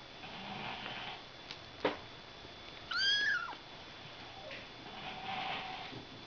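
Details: A Ragdoll kitten from a litter born on 31 March gives one high, thin mew that rises slightly and then drops away.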